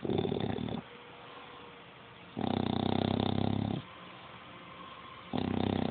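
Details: Dog snoring loudly, recorded on a phone: long, buzzy, rattling snores lasting one to two seconds, separated by quieter pauses, with a steady room hum underneath.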